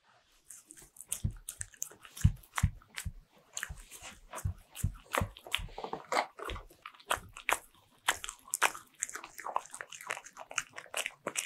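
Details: Pet Bichon Frise eating butter-ring cookies indoors, ASMR style; steady rapid crunching and chomping, many sharp bites per second with dull low thumps, continuing throughout.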